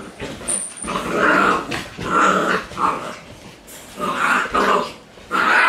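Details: Shiba Inu dogs facing off in a cramped, narrow spot indoors, giving loud, rough growls in bursts of about half a second to a second, separated by brief pauses.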